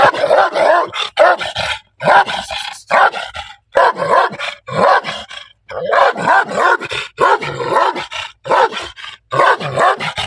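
A Pit Bull Terrier gives a run of strange, voice-like barks and yowls in quick bursts.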